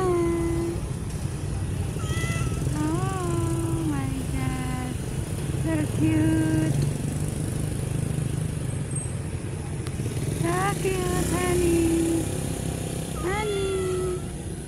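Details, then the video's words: Street cats meowing repeatedly, a string of drawn-out, wavering mews rising and falling in pitch, some short and some long, heard over a steady low engine rumble of nearby traffic. "the life of a street cats || cat lovers viral cat | meowing"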